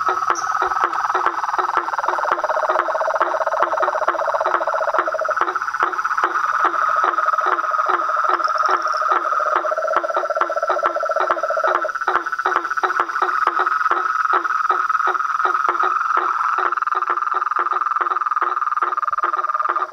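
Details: Chaotic evening symphony of frogs, toads and treefrogs at a pond by a house; a steady trill under rapid clicks about four per second, with lower pulsed trains coming and going.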